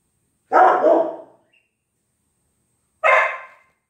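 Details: Bandit, a dog, recorded on June 7th 2023, gives two loud, full-bodied barks: a longer, slightly drawn-out one near the start, then a shorter, sharper one about two and a half seconds later, with silence between.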